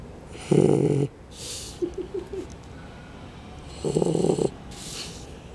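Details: Three-month-old shar pei puppy snoring right after dropping off to sleep; two loud rasping snores about 3.4 seconds apart, with hissing breaths between and faint speech nearby.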